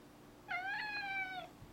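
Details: Zebulon, a male cat aged four, calls indoors after a lizard that went away. One drawn-out meow of about a second, steady and bright, with a slight drop at the end.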